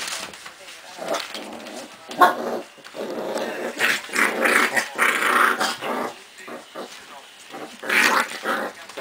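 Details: Five-week-old Cardigan Welsh Corgi puppies at a kennel in Sweden make small growls and yips while a person talks in Swedish.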